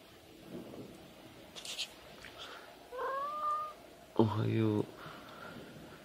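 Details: House cat giving its "ohayo" (good morning) call: a single smooth, rising-then-level meow, followed at once by a louder, deeper human voice repeating the greeting, with soft rustling before.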